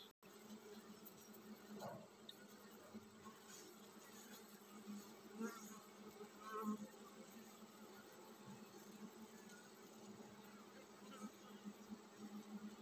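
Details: Honey bee colony preparing to swarm: a steady, dense low hum with a faint overtone holds throughout, swelling slightly in a few places, with soft scattered knocks and brief clicks over it.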